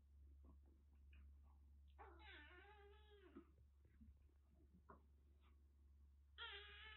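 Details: Kitten found crying and drenched during heavy rain in western Japan, nursed through a cat cold in Kagoshima, utters a long quavering meow lasting over a second, a few faint squeaks, then a second meow begins, low room hum behind.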